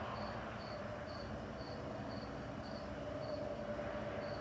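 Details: Crickets on a summer night in the Midwest, Missouri and Illinois: short high chirps repeated steadily about twice a second, with a continuous low rumble and hum underneath.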